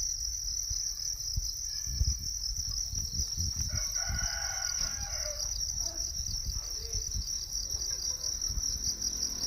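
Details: High, steady cricket trill from a natural setting continues throughout, overlapped midway by a rooster crowing, plus scattered knocks and low rumbling.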